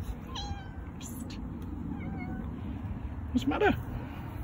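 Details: Several meows from a group of five domestic cats: faint short meows early on, then a louder, rising-and-falling meow near the end over a steady low background rumble.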